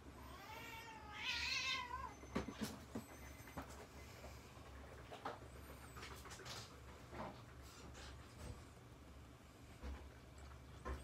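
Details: Several Chihuahuas together indoors. One gives a high, wavering, nasal whine lasting about two seconds at the start. It is followed by scattered clicks, taps and soft knocking noises over a steady low hum.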